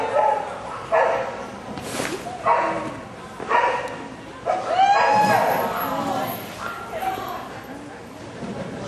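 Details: DaVinci, an AKC Rhodesian Ridgeback, 18 August 2013: a run of sharp barks roughly once a second early on, then fading to softer yips as people talk nearby.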